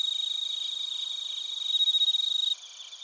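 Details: Bell crickets and other crickets chirping in Narita, Chiba Prefecture, Japan, recorded with a TASCAM Portacapture X8: dense, high, shimmering trills pulse rapidly, swelling louder near the end before abruptly dropping to a softer chorus.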